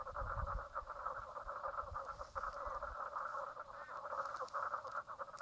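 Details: Chorus of frogs at Brown Lake, Stradbroke Island, Queensland, Australia, recorded 04/03/2017 at 10:55am; many overlapping pulsed croaks form a constant rattling drone, with brief low rumble early on.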